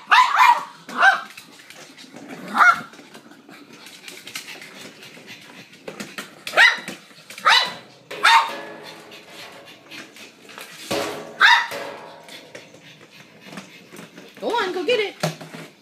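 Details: Excited yaps from Mary, a female pug who lost her eyesight, during a game of fetch with a noisy motorized ball. Short barks come at irregular intervals of one to three seconds, with a faint whimpering sound near the end.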